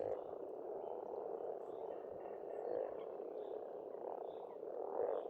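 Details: Frogs in full spring chorus at a pond in Estonia, a thick, even rattling drone with gentle rises every second or so and faint bird notes high above.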